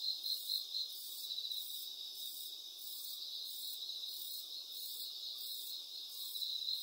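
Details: Cricket chirping: rapid, shrill pulsed chirps at a high pitch, clustered most densely at the start and end, over a steady high insect buzz with a faint pulsing hiss above it.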